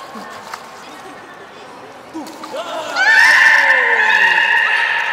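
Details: Beluga at Port of Nagoya Public Aquarium, Japan, 23 March 2019, while eating fish and playing: a few soft low calls, then a loud squealing whistle with rich harmonics and a long descending tone beneath, amid quiet crowd noise.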